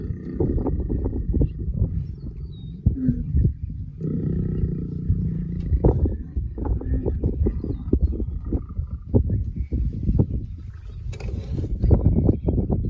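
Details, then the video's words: Lions mating in the wild: deep, rumbling growls and grunts come in rapid, uneven bursts, with a longer sustained snarl partway through and a harsher, louder outburst near the end. "Lions make love."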